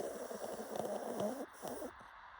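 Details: Pug snoring in its sleep. A rough, rattling snore lasts about a second and a half, then fades into quieter breathing.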